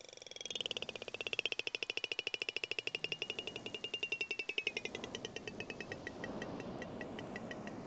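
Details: A Southern Resident killer whale detecting and chasing Chinook salmon gives sharp echolocation clicks in a steady train that speed up into a rapid buzz at the end.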